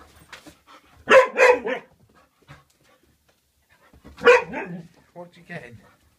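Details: A female Vizsla, waiting to be walked, gives two loud, throaty bursts of barking while a person talks nearby indoors.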